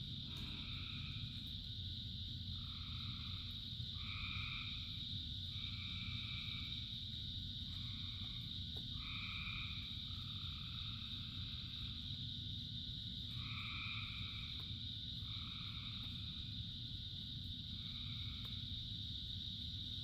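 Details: Frog chorus in rain, thousands singing: short, nasal, two-toned croaks repeat in uneven bursts every second or two against a constant shrill background chorus and a dense low hiss of rainfall.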